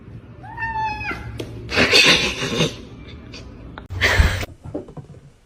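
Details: A cat indoors gives one short meow that drops in pitch, followed by broad bursts of scuffling and thumping noise in a small room.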